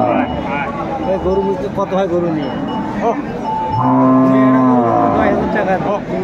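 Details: Cattle, dairy cows and calves, at the Aftabganj cattle market on 26/5/24: one long, deep, steady moo lasts over a second amid constant bargaining voices, crowd chatter and background music.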